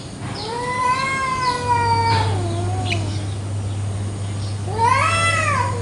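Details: Morning territorial fight between village cats in a garden; a long level wail sags into a low moan, a short pause, then a sharp rising yowl bursts in at the end, a steady low hum beneath.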